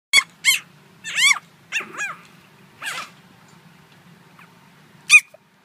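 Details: Four-month-old Chihuahua puppy giving high-pitched, squeaky yelping barks: about seven short arched yips in quick bursts over the first three seconds, then a pause and one final yip, with a steady low hum behind.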